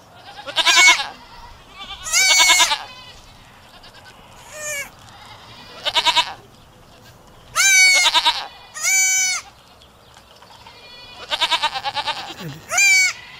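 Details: A chorus of farm goats bleats over and over at uneven intervals, mixing shaky vibrato cries with long flat nasal calls, several voices overlapping in steady background noise.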